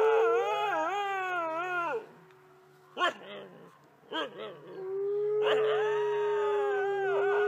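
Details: A captive red wolf at a wolf conservation centre in South Salem, New York, howls in long, wavering tones, broken by a few short yips.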